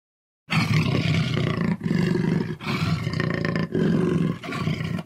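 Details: Jaguar growling in deep, rough, rumbling bouts, each lasting about a second, separated by brief breaths, continuing steadily after a short silent start.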